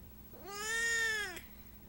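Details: Siamese cat stuck inside a giant box, trying to escape, gives a single drawn-out meow about one second long, steady then falling at the end, indoors in a quiet room, just after a woman asks if it needs help.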